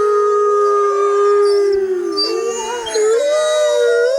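A fox gives a long, drawn-out howling call that wavers and climbs toward the end.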